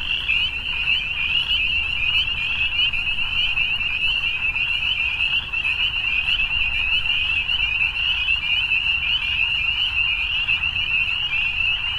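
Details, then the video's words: Massed frogs in the evening produce a steady, high, buzzy trilling wall of sound without pauses; faint low rumble in the background. "Evening Frogs"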